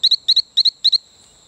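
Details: Calling male Allobates talamancae on Isla Colon, Bocas del Toro, Panama, near Playa Bluff: four crisp pairs of sharp, high chirps in quick succession, each pair a rapid double peep, then a faint insect hum.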